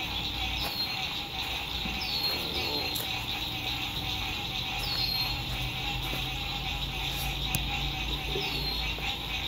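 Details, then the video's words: Sunset frog songs at a lakeside RV camp in spring 2021: an unbroken, shrill pulsing chorus carries throughout, while brief descending chirps repeat every second or two above it and distant road noise rumbles low. "Sunset Frog Songs"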